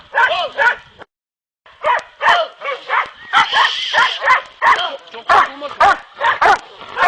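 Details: Hounds of the Kopoy and Barak breeds, trained for boar hunting, bark in a dense, excited series of yelps after a brief silence, the barks overlapping quickly with a voice mixed in.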